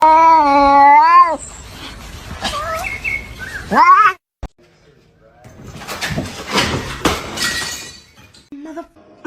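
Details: Kitten meowing indoors: a long wavering meow at the start, then a shorter rising call near four seconds, followed by laughter and excited talking from people.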